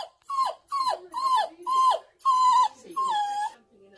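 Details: Crying female apricot toy poodle, left inside while her owner and brother, another toy poodle, play in the garden; repeated drawn-out whining yelps roughly twice a second, each bending downward, with a longer level whine near the end.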